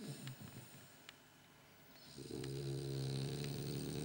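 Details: Sleeping French Bulldog, eyes possibly open, snoring softly: faint low breathing at first, then from about two seconds a steady, buzzing, rattling snore that carries on to the end.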